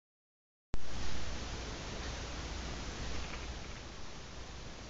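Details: Steady broadband hiss begins abruptly after a brief silence, with a low hum underneath and no distinct animal sound.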